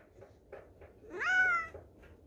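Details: Domestic cat from a home with five cats, recorded indoors for a New Year greeting: faint soft sounds, then one clear rising-falling meow of about half a second with strong harmonics, against quiet room background.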